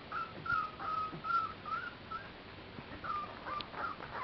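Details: Clumber Spaniel puppies at play, spring 2011, Sugar Loaf kennel: thin, drawn-out whistling whines, each held about a third of a second, strung together in a steady series with a short pause midway and faint background clatter.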